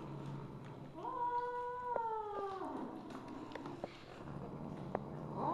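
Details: Misu, a mother Siamese cat, filmed 2 January 2015 at 8:18 PM, lets out a single sustained meow of nearly two seconds that falls at the end, followed by scattered taps and knocks.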